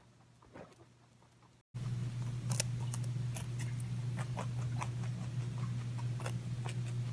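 Crisp little crunches and ticks come several times a second as a rabbit chews its food. A constant low hum runs underneath throughout.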